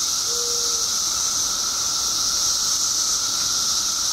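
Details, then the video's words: Billions of periodical cicadas emerging after 17 years underground in Illinois: a steady, dense shrill drone with a high hiss and a lower constant hum, and a brief faint tone near the start. "Billions of Periodical Cicadas Emerge After 17 Years Underground Cicadas Making Noise"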